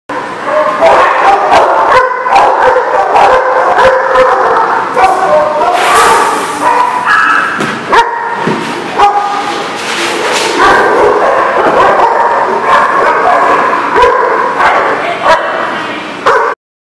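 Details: Dogs barking almost nonstop at a kennel-like lot, recorded 9/10/18; loud, sharp overlapping barks and yips follow one another rapidly for about sixteen seconds, with several voices mixing into a dense, continuous chorus.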